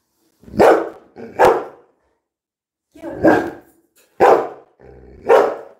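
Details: Labrador Retriever named Coco, a pet dog indoors, being told to go sit; five loud, harsh barks in two pairs and a single, with gaps of silence between.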